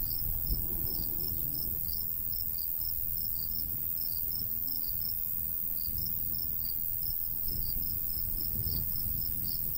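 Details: Summertime cricket chorus in open countryside by a golden wheat field: high, rapid chirps about four per second, slightly uneven, above a soft low breeze.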